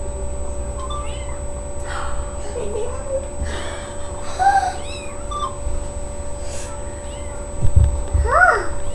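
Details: Sasha, a domestic cat, giving birth to three kittens on May 14th 2011; short rising-and-falling meows come at intervals and grow louder near the end, over a steady electrical hum and some human voices.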